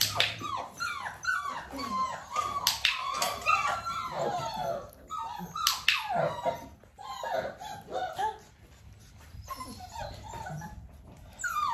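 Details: Nearly six-week-old Dalmatian puppies during a clicker training session with their mother Arya nearby: a dense overlap of high, falling whimpers and short yelps from several pups, with a brief quieter lull near the eighth second.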